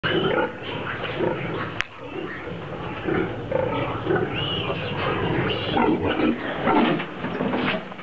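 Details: Piglets suckling milk from a sow, a busy chorus of soft overlapping grunts and squeaky snuffles about once a second, with one sharp click partway through.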